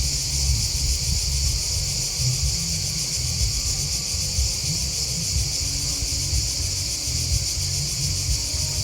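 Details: Crickets chirping in a dense, unbroken chorus: high, shrill, finely pulsing trills layered together at a steady level, over a constant low rumbling background noise.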